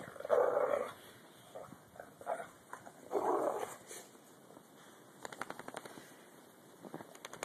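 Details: Dogs play in the snow during a 2011 blizzard. Two strong yelping bursts at the start and after three seconds, with shorter yaps between, then a run of crunching clicks near the end.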